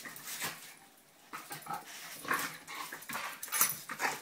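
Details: Two pet dogs at play, short rapid whimpering yips and growl-like bursts repeating irregularly over a few seconds, with scuffling sounds in a small room.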